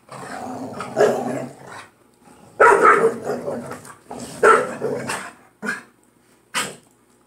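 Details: Two playful pit bull dogs tussling over a toy. Growls break into sharp, harsh barks and snarls in several separate bursts with quiet gaps between them. A woman's voice is faint in the background.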